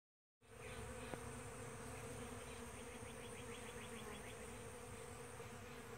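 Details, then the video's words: Various bee species nectaring on a powder puff tree at sunrise, giving a steady, continuous droning hum with an even buzzing tone throughout, plus a brief series of faint rapid ticking notes midway. "Bees on Powder Puff at Sunrise"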